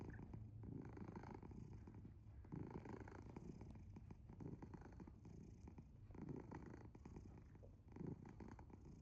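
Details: Asher, a house cat fast asleep, gives a loud snore-like purr: a low rough rumble rising and falling about every two seconds with each breath, steady throughout.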